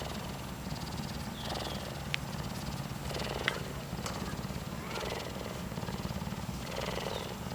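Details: Young cougar kitten cuddling and purring, a continuous low throbbing purr with soft breathy bursts and a few sharp clicks.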